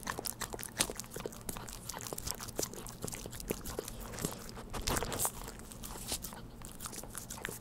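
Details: Household dog licking and chewing Churu treats in a small indoor room, without speech: quick crisp smacks and tongue clicks tumbling over one another, a few louder pops near the middle, and low background hum.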